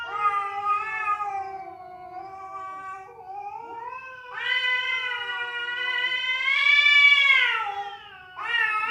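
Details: Domestic cat yowling, described as fighting or a female summoning a male; a continuous moaning wail that sinks, then surges into a louder, higher, strained howl before breaking off and restarting abruptly.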